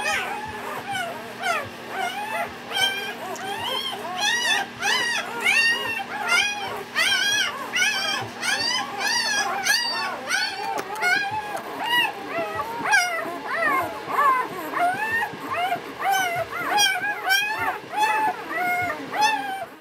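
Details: Newfoundland puppies, four days old, born November 2010: many overlapping high whimpering squeals, each arched and harmonic, tumbling over one another in a rapid, irregular chorus above a steady low hum.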